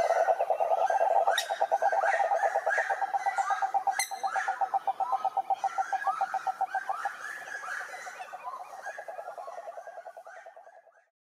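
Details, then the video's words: Rhinella marina, the cururu toad, singing at a lake in Brazil's Atlantic forest: a long, fast-pulsed, low buzzing trill that gradually weakens and stops, accompanied by higher chirping calls and a brief sharp click partway through. "CANTORIA DE SAPOS CURURU"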